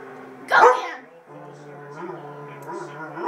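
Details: Pet dog barking at a baby seat indoors: one sharp, loud bark early on, then a low steady hum and quieter voice-like sounds as a person eggs the dog on.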